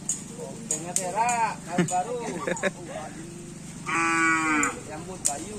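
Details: Cattle at karapan sapi bull race training at Lapangan Asemanis, Madura: a steady, harmonic, drawn-out low moo lasting about half a second, with nearby men talking and clacking knocks throughout.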